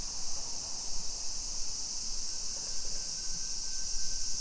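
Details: A dense summer cicada chorus in suburban Nisshin near Nagoya, Japan, at 2 PM on 28 July 2021, makes a steady, high shimmering hiss that never pauses.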